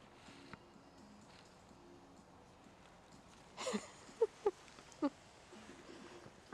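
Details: Five-week-old Šarplaninac puppies from the litter of Milos and Nessa, exploring outside their kennel for the first time. Three or four short, sharp tonal yelps arrive close together midway, over a quiet background with a faint steady hum.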